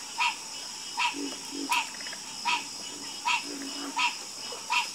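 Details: Frog croaking in a night chorus, a clear nasal croak repeated evenly about every 0.8 seconds, a few soft lower grunts between, set against a faint constant high hiss.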